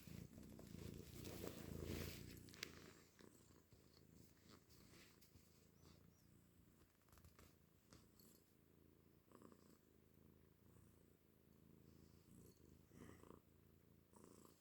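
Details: A pet cat gives a steady, deep purr compared to a motorcycle. The continuous low rumble is loudest in the first two seconds, then settles, with scattered rustling and small clicks over it.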